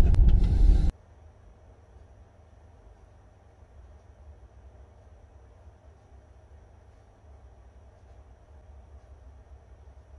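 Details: A short loud rumbling burst in the first second gives way to a faint, steady low hum, with no animal voice heard.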